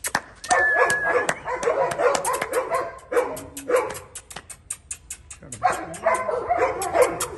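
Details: Husky puppy in Delhi: bursts of high, squeaky yips and whimpers in quick clusters, with a short sustained whine, broken by pauses and sharp clicking noises.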